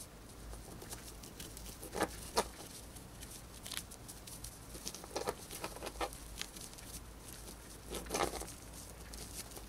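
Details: Gnawing on a dried corn, a pet female hamster makes scattered crisp crunches, with stronger bites at about two, five to six, and eight seconds and a faint hiss in between.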